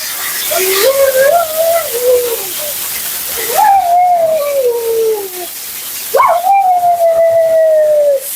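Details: Female Siberian Husky named Mila complaining at bath and grooming time, her second groom: three drawn-out mournful yowls, each starting with a sharp upward jump then gliding slowly downward, over steady water spray.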